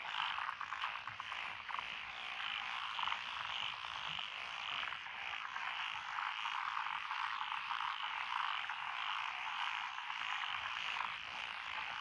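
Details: Night-long style paddy chorus recorded 12 June 2021 among lotus rice fields near a country lane in Echizen City, Fukui Prefecture, five frog species together; steady, dense ratcheting croaks with little variation and no other clear sounds.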